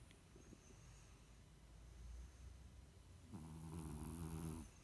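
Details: Sleeping French Bulldog snoring indoors: a soft rumbling breath for the first seconds, then one louder, buzzy, rattling snore lasting over a second near the end.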